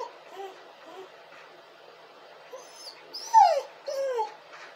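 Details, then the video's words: A crying dog makes soft, barely audible whimpers for several seconds, then two louder falling whines close together with sharp, high squealing edges near the end. "dog crying and hurling!"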